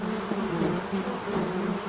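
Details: Honey bees collecting honey, giving a steady low buzzing hum that wavers slightly in pitch throughout, with no other clear sounds.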